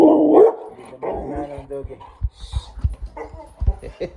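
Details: Bulldog Bonnie sounding off at someone passing by: a loud, gruff bark opens, followed by softer grumbling notes, then a woman talking to the dog with scattered knocks and handling noises.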